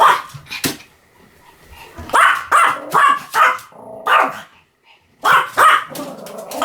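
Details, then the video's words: Pomeranian barking in quick clusters of sharp, bright yips, a lull with soft sounds after the first bark, then a run of loud barks resuming toward the close. "犬の鳴き声 ポメラニアン 1000回吠え Dog sound effect"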